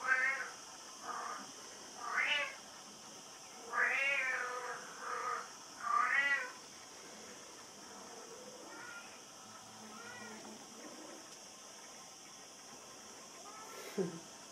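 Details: Brown Bengal kitten raised by a Mallorca, Spain breeder, calling in a run of short rising-and-falling meows, about five clear calls in the first seven seconds, then softer fainter mews and a brief click near the end, against steady indoor hum.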